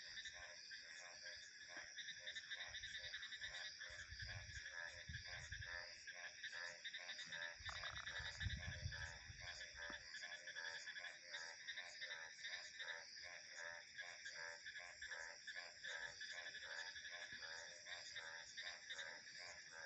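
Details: A steady frog chorus of closely spaced pulsed croaks runs throughout, layered over a constant high insect and cricket drone, while two brief low gusts of wind pass near the fifth and ninth seconds.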